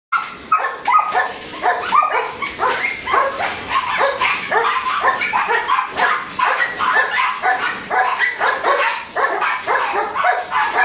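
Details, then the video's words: Three-month-old Border Collie puppy named Speedy barking during drive-building play: rapid, uneven bursts of sharp high yaps, several per second, continuing throughout with no pause. "Border Collie 3 months old puppy building drive"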